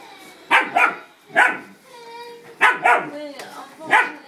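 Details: German Shepherd puppy facing off with a cat, giving paired and single yappy barks in quick bursts, with a person's voice and a faint tonal hum heard between barks.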